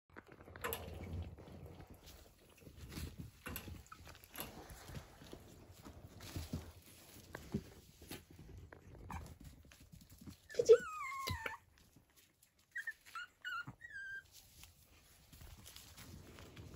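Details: Dog gives a brief, high whine that slides downward. A few faint squeaks follow, set against steady rustling and handling noise.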